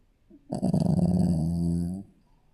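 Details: One drawn-out snore from a sleeping Shih Tzu puppy: a deep, vibrating rattle that starts with rapid flutters and smooths into a steady low drone for about one and a half seconds.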